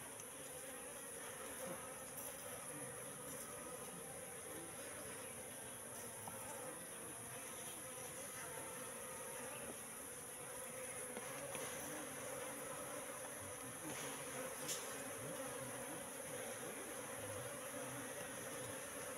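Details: A wild Asian honey bee colony inside a trap box set three months earlier: a long, continuous buzzing drone that swells slightly in the second half, with occasional faint clicks or knocks.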